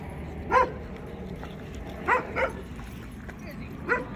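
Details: An American Akita at Baldwin Park dog park, Orlando, Florida, plays in the water, giving short sharp barks, one alone, a close pair, then another after a pause, over a noisy low background of park ambience.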